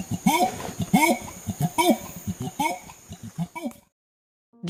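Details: Orangutan calling: a run of throaty hoots, each rising then falling in pitch, repeated about once a second and growing weaker. They stop after roughly four seconds, followed by silence.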